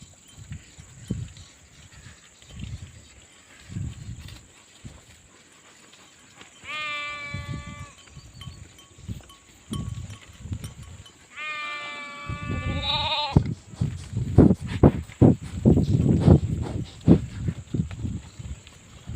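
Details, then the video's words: Two wavering sheep bleats around the middle, each about a second long, set between repeated low thumps and shuffling, with louder rumbling footsteps or movement toward the end and a constant high hiss. "SHEEP SOUNDS FOR KIDS - Learn Baaing, Bleating, Yelling, Screaming and Meh Sound Effects of Sheep"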